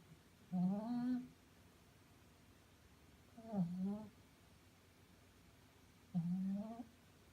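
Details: Five-month-old female Shih Tzu snoring while asleep indoors: three drawn-out nasal snores, each under a second, wavering and slightly rising in pitch, spaced about two and a half seconds apart in a quiet room.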